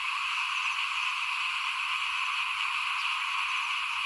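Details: In front of a house during rice sowing in 2021, a crowd of small frogs keeps up a constant trilling chorus. The rapid croaks merge into one even, high buzz.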